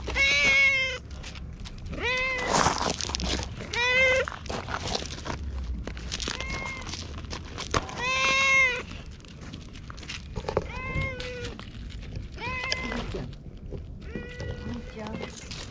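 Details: Talkative stray cat at a shrine in Japan, meowing repeatedly while being petted and patted, recorded on a GoPro; about nine clear harmonic meows, some rising, with rustling and handling noise between them.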